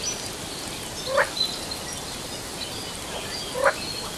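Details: Frog in Sri Lanka giving two brief rising upward-sweeping calls about two and a half seconds apart, over a steady loud hiss of background noise with faint high insect-like tones.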